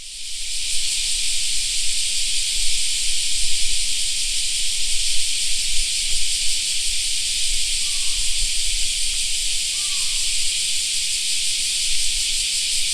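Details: Cicadas singing in a park in summer, a dense, unbroken shrill hiss holding steady throughout, with two faint short chirps from another creature around the eighth and tenth seconds.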